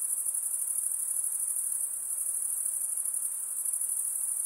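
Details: Nocturnal insect chorus, a continuous piercing high buzz-trill with a faint pulsing texture that never pauses, with a soft background hiss beneath and nothing else distinct.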